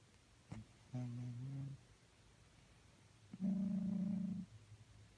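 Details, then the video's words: A snoozing cat gives two drawn-out, humming snore breaths, the second steadier and louder, with a soft sniff at the start and silence between. "Snoring and sleeping cats makes weird noises"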